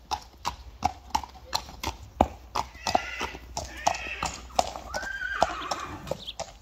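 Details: Friesian horse, a mare brought for insemination in 2021: steady clopping hooves throughout, then a wavering, quavering whinny late in the clip, with human voices nearby.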